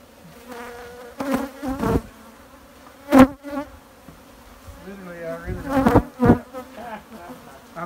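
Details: Honey bees buzzing close up, a low droning hum that wavers and bends in pitch, swelling and fading, broken by several sharp knocks and thumps of handling.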